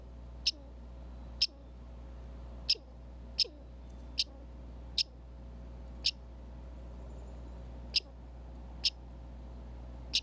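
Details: Red squirrel calling at a Minnesota backyard feeder cam stocked with alfalfa pellets, corn, birdseed and suet: about nine sharp, high, clicky chips spaced roughly a second apart, over a steady low hum of distant road traffic.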